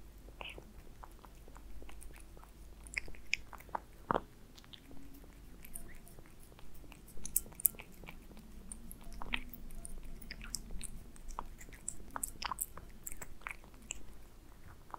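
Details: Aliska, a pet cat, eats Friskies beef wet food in a small room: a steady patter of crisp biting clicks and wet mouth sounds above a faint low hum.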